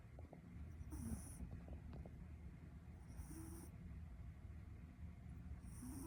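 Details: Chihuahua named Uta asleep and snoring: soft, low breathy snores returning about every two to two and a half seconds over a steady low hum, each breath carrying a faint higher hiss.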